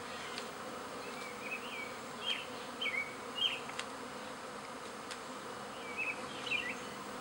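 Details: Backyard honey bees swarming in spring as half the hive, with a new queen, moves to a second hive: an even, whirring drone throughout, overlaid by quick twittering bird notes in small clusters.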